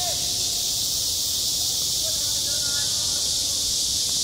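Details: Cicadas singing in high summer at a school playground, self-recorded: a dense, unbroken high-pitched buzzing wash that holds steady at one loudness throughout, with faint low background rumble beneath.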